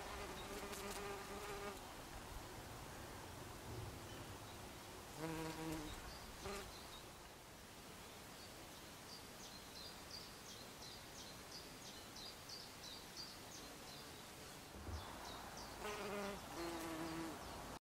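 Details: Bees buzzing, with droning passes swelling near the start, around five seconds and again near sixteen seconds over a constant noisy hiss, plus a faint higher ticking flutter in between.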